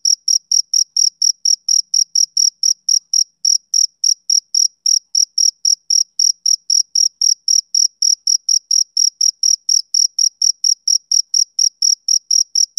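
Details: Rhythmic chirping from a male cricket on a summer evening: high-pitched ringing pulses repeated about four times a second without a break, in a silent background.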